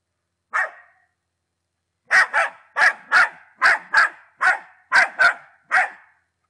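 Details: Young Patterdale Terrier, ten months of age, from Czechia: one bark, a pause of over a second, then a string of about ten crisp barks, some paired, at an even pace; nothing else audible.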